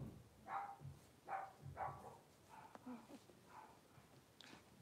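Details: Litter of five Blenheim Cavalier King Charles Spaniel puppies, born at New Year's, settling into a larger indoor pen; soft, small yappy barks come in a loose run of about six over five seconds, with quiet room noise underneath.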